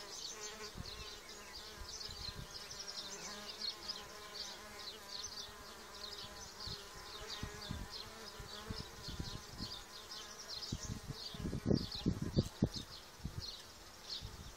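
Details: Solitary bees, harmless spring pollinators of gardens and orchards, hum in a dense layered drone of overlapping wingbeats that swell and fade as individuals pass, with scattered low thumps and a cluster of louder bursts toward the end.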